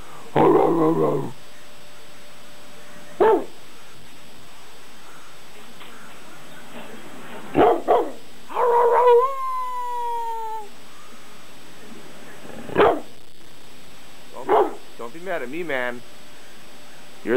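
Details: A young dog, eight months old, barking indoors: short harsh barks scattered irregularly, one drawn-out falling whine near the middle, then a few quick yips toward the end, with a steady electrical hum underneath.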